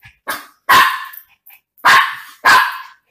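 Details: A Miniature Pinscher barks indoors while a woman scolds it for messing up the room; four sharp barks in about three seconds, the last three loud and evenly spaced, with her voice in between.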